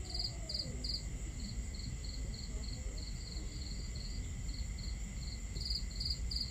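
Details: Crickets on a starry camping night near a crackling fire and water. Louder, brighter chirps open and close the stretch, while softer rhythmic chirping continues between them above a deep, continuous background rumble.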